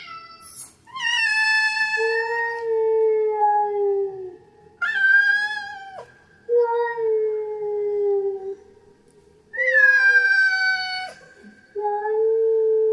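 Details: Female domestic cat in heat giving her mating call: long, drawn-out wailing yowls in overlapping high and low tones, some sliding downward in pitch, repeated in bouts of a few seconds with brief quiet gaps between.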